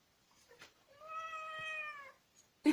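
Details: Domestic cat giving one drawn-out meow about a second long, steady in pitch and dipping slightly at the end, with soft rustles before it and a sharp knock just after in a quiet room.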